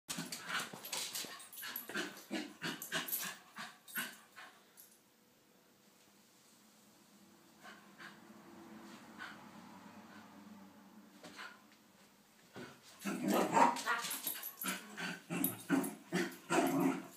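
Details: Lakeland Terrier named Doug going crazy, biting and attacking feet; bursts of rough, rapid growly play noises for about four seconds, a quiet lull, then a louder, denser flurry of snarls and yaps near the end.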